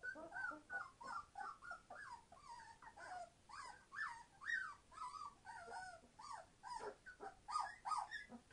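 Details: Entlebucher Mountain Dog puppies, 21 days old, from a litter born 26 September 2015, very noisy: overlapping high whines and yelps, many short rising and falling cries from several pups in quick succession.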